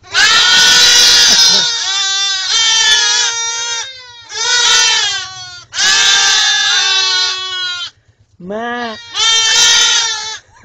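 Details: Baby goats calling in a run of five loud, strained bleats, some long and wavering, one short rising cry near the end, with brief pauses between.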